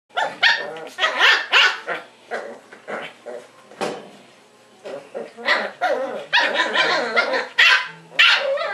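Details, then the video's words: Wire fox terrier puppies almost seven weeks old, one with a white stripe discovering the camera: bursts of high, yappy barks and little growly yips in irregular clusters, with brief pauses between. "wire fox terrier puppies - almost 7 weeks"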